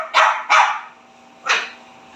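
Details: A spoiled Pekingese, said to answer back when scolded, gives three sharp, high barks, two quick ones and then a third after a pause.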